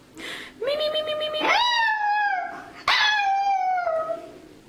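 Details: Chihuahua singing, a mascot dog said to sing and even say I love you: a brief opening yelp, then three drawn-out, rich howling notes, each swooping upward before holding and sagging slowly, voiced and vowel-like, with no other sounds.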